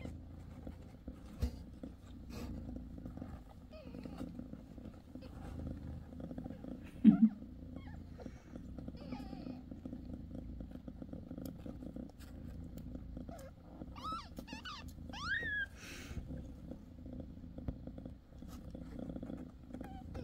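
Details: Mother cat Bassy on the sixth day after giving birth to five kittens: a quiet low purr throughout, a brief louder thump near seven seconds, and several high, wavering kitten squeaks around fourteen to sixteen seconds.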